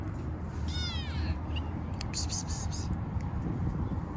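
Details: Stray kitten living in a park, being petted after being fed: one short, clear meow with stacked harmonics near the first second, then a few clicks, over a steady low traffic rumble and a person calling "pis pis".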